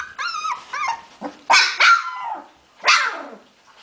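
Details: Hungarian Vizsla puppies, 15 February 2011, mixing two tonal whines with sharp, harsh yips and a squealing bark-like cry, separated by brief quiet spells.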